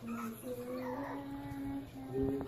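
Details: Chihuahua named Milo greeting on request indoors: a steady, sustained singing howl running almost unbroken for over two seconds, rising slightly near the end, with faint household noise.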